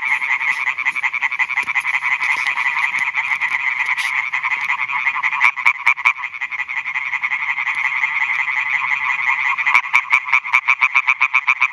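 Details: Male European tree frogs call for females at night from new ponds on a meadow in Schleswig-Holstein, Germany; a massed, rattling chorus of quick pulses, with one nearby frog's crisp, evenly spaced notes standing out toward the end.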